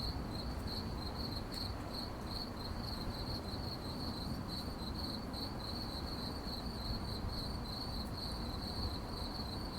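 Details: A chorus of crickets at night gives a continuous bright chirping broken into rapid even pulses, with faint higher ticks above and a constant low rumbling noise underneath.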